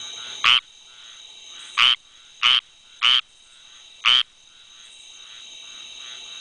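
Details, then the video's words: Squirrel treefrog, called rain frog for calling during rain storms, giving harsh raspy croaks, five calls in six seconds at uneven intervals, with a faint background chorus of similar frogs and a steady high insect-like hum. "Calling Squirrel Treefrog (Hyla squirella)"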